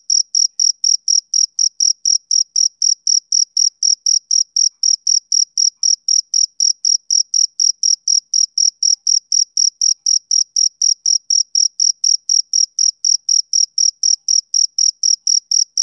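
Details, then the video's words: Rhythmic chirps of a male cricket on a summer evening, quick bright pulses at roughly four per second, unbroken throughout, with nothing else audible. "Cricket Chirping Sound Effect"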